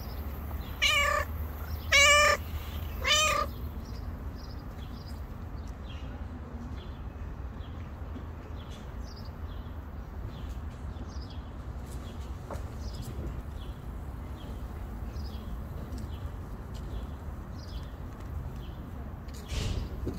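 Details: Pregnant stray cat living on the street, due to give birth within a few days, gives three clear, rising-falling meows in quick succession early on, followed by a long quiet stretch with faint ticks and rustles in the background.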